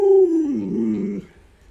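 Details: Pet Alaskan Malamute Luoluo, waiting for a chicken leg, gives a short howl that starts high and clear and then wavers downward into a lower, rougher moan before fading, indoors.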